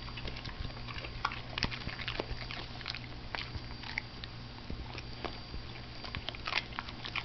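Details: A pet dog, female, indoors, eating broccoli: steady crunchy munching with dense clicky bites throughout, over a low steady hum in a small room.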